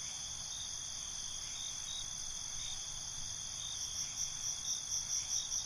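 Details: Crickets chirping at night in binaural ambience: an even high trill holds steady, then distinct pulsed chirps emerge near the end at around two to three per second.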